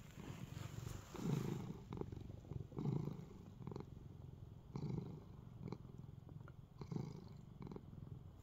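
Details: A relaxed pet cat kneading and purring. A deep, close rumble pulses in slow breaths about every one and a half seconds over a soft steady background hiss.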